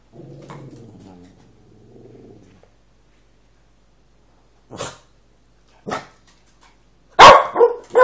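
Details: A male Cavalier King Charles Spaniel, wanting his owner's dinner, growls low and rumbling for a couple of seconds, then after a pause gives four short, sharp barks, the last ones loudest.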